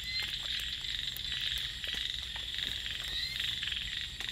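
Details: A dense night chorus of small frogs, with cicadas, in rice fields, rapid high croaks overlapping into a steady pulsing din.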